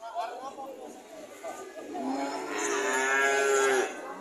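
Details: Cattle giving one long, loud moo that builds from about two seconds and holds a steady, rich tone before cutting off, preceded by quieter scattered background sounds.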